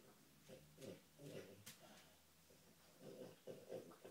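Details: While searching for treats, a female dog gives low, throaty, pig-like snorts in rhythmic pairs, broken by brief airy sniffs.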